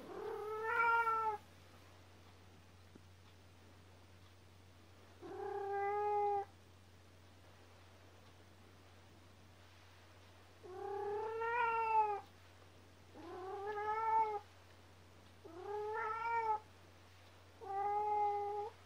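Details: Kkomaengi, the youngest house cat of the family, crying before dawn at home: six drawn-out, harmonic-rich meows, each about a second long, in irregular bursts separated by quiet gaps, with a steady low hum underneath.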